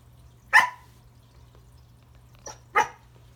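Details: Remington, a corgi, at Christmas trying to say hello to a new toy under the tree: one sharp, loud bark, then after a pause a softer yip and a second strong bark, in a quiet room.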